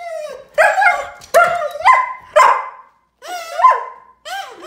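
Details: German Shepherd dog going crazy with excitement as it reacts to a kazoo, a kids' toy. It gives tonal yelping whines with rich harmonics. Each burst starts sharply, bends down, then rises, and the bursts come in quick succession with short gaps.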